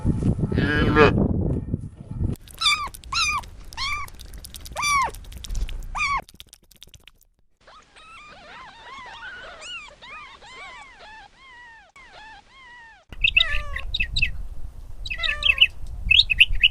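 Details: Little kittens making high, arched mews with clear overtones, given in quick bursts of about two per second, some softer and overlapping in the middle, after a loud rustling, handling noise at the start.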